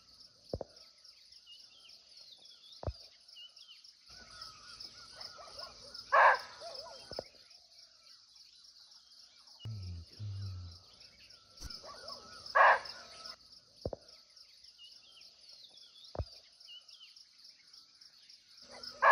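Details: Muntjac, or barking deer, heard from close range in a Nepalese forest: a few loud, gruff barks spaced roughly six seconds apart, set against a continuous high-pitched insect whine and scattered soft ticks.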